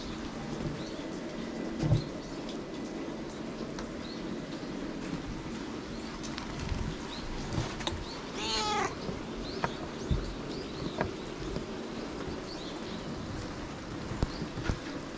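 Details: White stray cat befriended at a shrine on a rainy day utters a single brief meow midway through, set against constant rain-like hiss and scattered knocks and taps.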